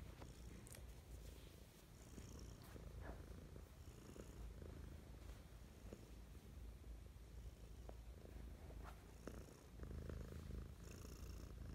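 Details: Pet cat purring affectionately in the morning, a steady low rumbling purr throughout with faint rustles and small clicks.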